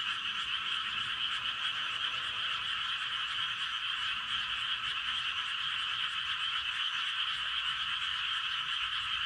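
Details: A dense night chorus of paddy frogs in a rice field in Gapyeong, Korea, at 11:19 pm, a steady wall of high trilling croaks.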